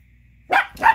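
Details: Angry Chihuahua pup barking at another dog chewing a tiny bone he wants: two sharp, high barks about a third of a second apart.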